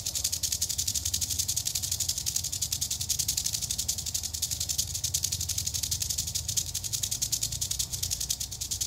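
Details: Wild eastern diamondback rattlesnake in Florida, being approached, keeps up a fast, pulsing, high-pitched buzz rattle, dry and insistent, with a low rumble of background noise underneath.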